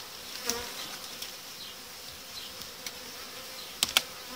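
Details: Honey bees buzzing steadily inside a hive during the uniting of colonies and removal of the separating boards, a continuous high drone broken by a few sharp clicks and knocks of frames.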